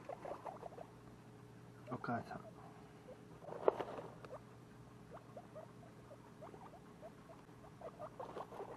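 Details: Pet guinea pig babies, two weeks old, keep up a pattering series of brief, soft calls, interrupted by a few louder rustling bursts, against a faint steady hum.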